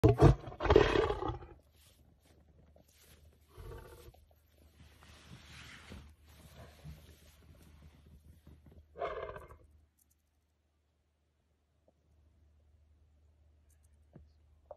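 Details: A grumpy, very aggressive dominant male lion of Machaba Camp, known for attacking safari vehicles, gives a loud rough roar-like burst at the start, then quieter growls and rustling, another short burst near nine seconds, and a low engine hum.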